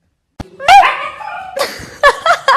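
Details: A Siberian Husky "talking": a sharp click, then a loud, harmonic, wavering woo-woo yowl with rising and falling pitch, followed by several shorter yelping bursts near the end.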